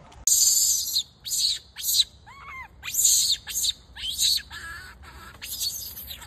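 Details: Loud crying from a wild baby macaque being bullied by its mother: piercing, raspy screams in close bursts, broken once by a short clear arched wail in the middle, then more shrieks.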